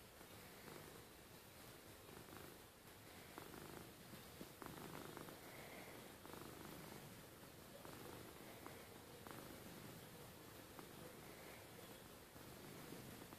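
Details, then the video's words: Rustle, a pet cat, purring at bedtime indoors; a steady low rumbling purr runs throughout with a soft pulsing texture and light rustling. "Rustle purring at bed time"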